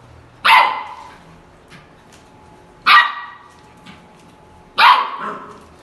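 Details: An angry Samoyed puppy giving three loud, sharp barks spaced about two seconds apart, each a bright burst with a brief trailing tail, in an otherwise quiet indoor setting.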